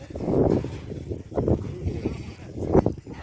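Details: Goats on a dairy goat farm in Saudi Arabia, visited in the afternoon to collect milk. A long, wavering, nasal bleat opens the recording. Shorter bleats follow near the middle and again near the end, over a low background murmur.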